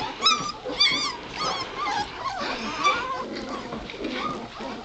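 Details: Litter of White Shepherd puppies aged two and a half weeks; a run of high wavering whimpers and squeals in quick succession, fading into softer overlapping squeaks with background rustling.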